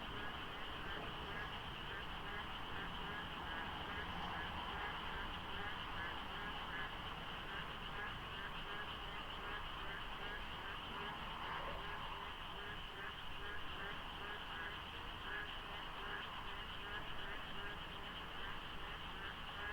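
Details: Frogs at Deokso IC on a Korean highway at dawn in the monsoon, lightly foggy and quiet of traffic; an intense, continuous chorus of repeated short croaks, staggered among many callers, holds steady at even loudness.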